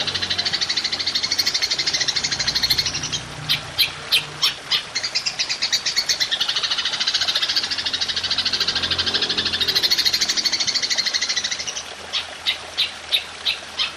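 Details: Golden grasshopper calling for songbird masteran in long-shooting style: a dense, shimmering high buzz that swells and fades, broken up by separate sharp ticks between the buzzing stretches.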